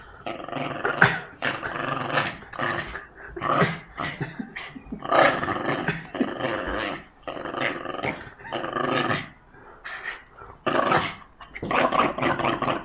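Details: Jack Russell Terrier in an aggressive tug of war, snarling continuously in choppy, rasping bursts with short sharp yip-like edges, growls rising and falling every second or so.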